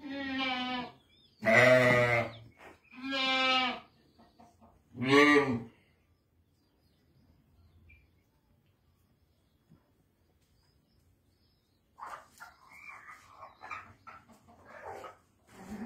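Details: Sheep from a group of seven ewes with a ram west of Ramallah, Palestine, giving four loud harmonic bleats in the first six seconds, wavering and quavering, followed by quiet, then softer mixed sounds near the end.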